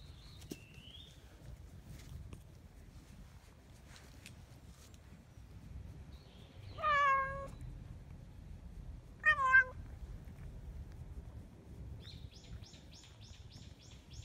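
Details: Low-ranking, easily frightened black-and-white female cat sharing a home with a white-and-brown cat family, letting someone touch her back: two loud, drawn-out meows that rise then fall, a few seconds apart, with faint high chirps before and after, against quiet hum.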